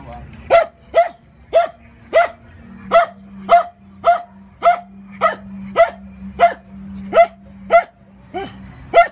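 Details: Steffen, a four-month-old male puppy, barking while fighting with a big bone: about fifteen sharp, loud barks at roughly half-second to one-second intervals, over a steady low hum.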